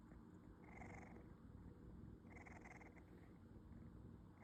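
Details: Small snores from the napping kitten Lizzy, a young female rescue cat sleeping with her mouth open. Two soft, airy rasping breaths about a second and a half apart, with a third beginning at the end, over a continuous low purring rumble.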